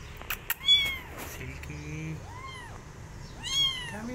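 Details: Abandoned kitten seeking adoption by an adult female cat that shows no interest; two or three high arched meows, the last loudest, over low background rumble and a few clicks.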